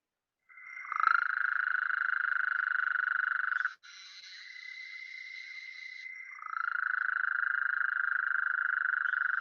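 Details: A Gulf Coast toad in the Southeast Texas (Houston) area gives a long, steady, medium-pitched trill while chorusing beside an Eastern narrow-mouthed toad, whose buzzy call breaks in.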